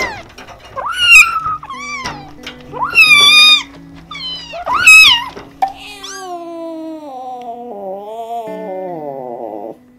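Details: Hungry, scared, lonely or angry kittens let out sharp, bright meows in quick succession over soft background music. A long, drawn-out, slowly falling tonal wail trails off at the end.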